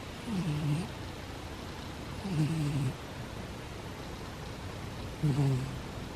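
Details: A sleeping cat snoring: three low, breathy, rasping snores, each about half a second long and spaced roughly two to three seconds apart, in a quiet room.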